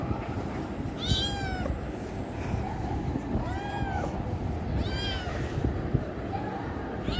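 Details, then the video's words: Kitten wanting affection, meowing three times with clear harmonic, arched cries about two seconds apart, each rising then falling, over steady low background rumble. "Cute kitten wants love"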